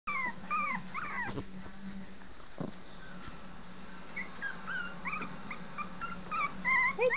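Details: Four-week-old puppies on a floor, several pups giving high, short whining squeaks and rising-falling whimpers scattered through, with a low steady hum underneath.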